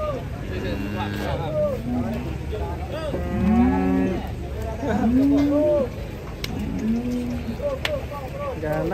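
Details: Cows coming down off a truck, lowing repeatedly: several rising-then-falling moos in sequence, some long and drawn out, over constant low vehicle rumble and faint voices.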